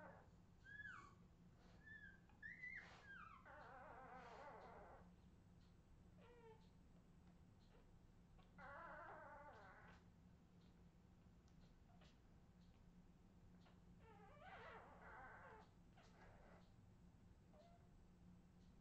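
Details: Australian Terrier puppies, 2018: a few thin high whimpers early on, then three buzzy, raspy vocal bursts spaced several seconds apart, fairly quiet against a steady low hum.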